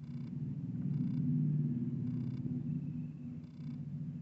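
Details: Kitten playing with a big adult cat; a steady low rumbling purr with soft pulsing runs throughout, swelling midway then easing, with faint higher tonal overtones at times.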